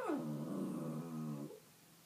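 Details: A male dog named Fritzy moans at night in bed in a small room, a drawn-out, growly whine that drops quickly and then holds low and steady for over a second before fading.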